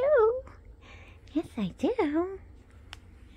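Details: Female husky, Princess, in a morning chat with her owner indoors: a sliding, wavering howl-like yowl rising and falling, then a pause and a second burst of several short bent moaning syllables, with a woman's cooing speech around it.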